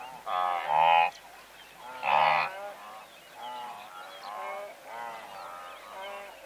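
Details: Blue wildebeest herd of several hundred animals, recorded medium-close: nasal, honking calls with rich harmonics overlap, two loud bursts early then a run of softer repeated honks less than a second apart.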